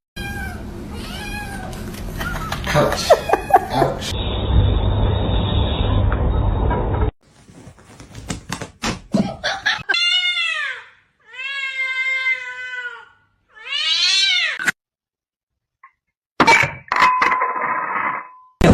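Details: A kitten gives about four short meows in a row, each an arched cry that rises and then falls away. Talking and background noise come before the meows, and voices return afterwards.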